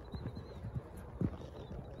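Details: Harlow, a green ex-racehorse Thoroughbred mare on about her fifth time jumping, schooling a course off property; dull thudding hoof beats land in quick irregular clusters, one heavier thump near the middle, with faint outdoor background.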